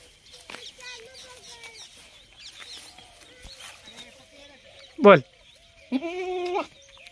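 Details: Goat bleat near the end, a single wavering nasal bleat under a second long, preceded by scattered softer animal calls, a sharp loud knock and a constant background hum.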